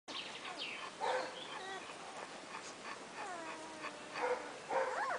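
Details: Wirehaired Vizsla pups from two Zöldmáli litters, aged 2 days to 4 weeks, tended by the dam Alma while the other mother sleeps. Thin, whining squeals and whimpers rise and fall in short bursts, several pups overlapping, with soft rustling between cries.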